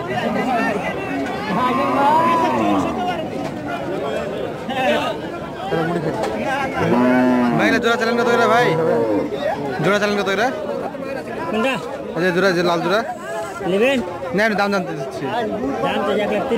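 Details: Farm-raised bull cattle at a market, recorded 6 February 2019, give a drawn-out, arching low moo about midway, with a shorter lowing before it; men talk and bargain throughout amid crowd chatter.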